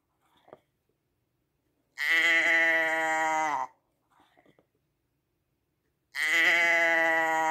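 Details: Sheep bleating: two long, even, nasal bleats, each nearly two seconds, that dip slightly in pitch at the close. They come about four seconds apart, with faint soft clicks and rustles in the quiet between them.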